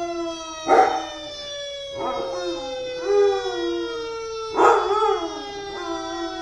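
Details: Lab/Chow mix Achilles, two years old, joins a passing fire truck siren with a few scattered howls, each rising and fading, while the steady siren tone dominates throughout.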